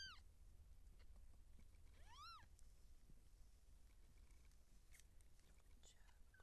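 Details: Seal point Siamese cat during labour as kittens are born: a single clear rising-then-falling meow near the middle, preceded by a brief clipped cry, with faint rustles and a low constant hum behind.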